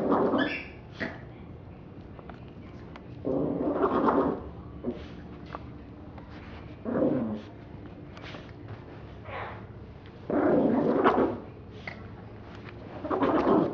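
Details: Little dog Roses attacks a teddy bear in a small room, giving repeated low, throaty growls every few seconds, some about a second long, with faint huffs and scuffling noises between them.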